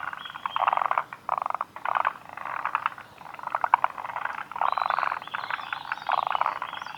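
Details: Forest green tree frogs at Kawaguchiko Field Center, Japan, 2 June 2019, give harsh clicking rattles in short bursts, overlapping callers rising and falling in loudness, faint higher chirps in the background.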